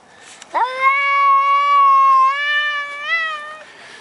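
A Maine Coon cat gives one long, drawn-out meow that swoops up at the start and wavers near the end.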